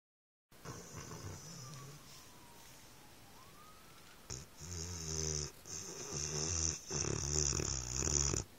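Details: Pit bull dog snoring, recorded on an Android phone: quiet breathy stretch, then from about four seconds a louder run of rough, rattling snores with hissy upper noise, repeated in uneven bursts.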